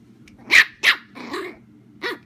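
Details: Playful barking from a household where a chihuahua puppy romps with a miniature German shorthaired pointer and a person's arm indoors: four sharp, high yaps, the first two loud and close together, then a rougher bark and a last short yap.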